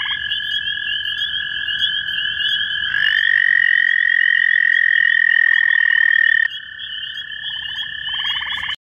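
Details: Two male American toads (Bufo americanus) in Cuyahoga County, Ohio, in May 2015, call toward each other with long, steady, musical, overlapping trills, one slightly higher than the other.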